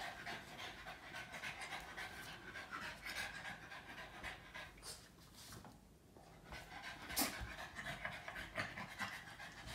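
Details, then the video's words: Boston Terrier named Yoda, a pet dog, licking its owner nonstop: rapid breathy panting and wet licking noises at roughly four per second, easing briefly around the sixth second before resuming. "Boston terrier dog Yoda can't stop licking mom"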